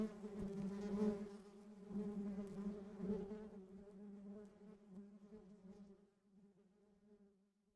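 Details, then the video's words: Bees foraging for pollen in Sri Lanka make a low humming drone that is fairly strong at first, then fades steadily over the last few seconds as they move away. "Bees sound effects Natural Sri lanka මී මැසි නාදය සමග රොන් ගන්නා මී මැස්සෝ"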